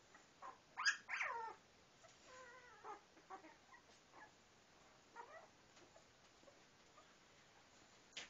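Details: Newborn standard poodle puppy searching for where to nurse: a sharp, high squeal, then several short, thin whimpers and squeaks scattered through a quiet room.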